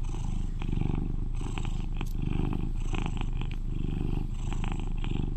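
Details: Eleven-year-old male British Shorthair cat purring loudly; an even, low throbbing rumble with brief soft clicks and small rustling sounds scattered through the purr.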